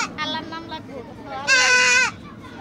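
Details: Goat during castration: softer, broken harmonic cries at first, then one loud, drawn-out, wavering bleat lasting about half a second near the end.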